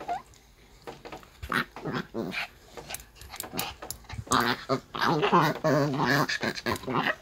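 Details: Maltese being groomed with a brush lets out irritated grumbles: brief whines early, then a long, rippling, vibrato-like moan rising and falling, over steady brushing scrapes.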